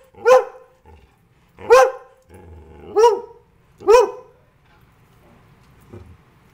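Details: Pet greyhound barking, a breed said not to bark: four loud, harsh barks spaced about one to one and a half seconds apart, each sharp and ringing, with a few soft grunts between them in a quiet room.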